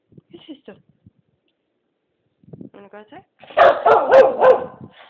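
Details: Pet Keeshond Blue, waiting to go outside, makes soft whimpers and a brief whine before breaking into a burst of four rapid loud barks, with a person talking to her.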